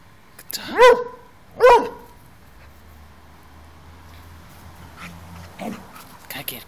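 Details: Airedale Terrier puppy Bentley, 5 months old, playing with a toy, gives two quick barks close together, then quieter rustling and faint knocks follow in an indoor setting.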